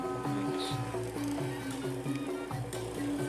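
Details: Quiet rhythmic music with held tones and soft background noise, with no clear animal sound.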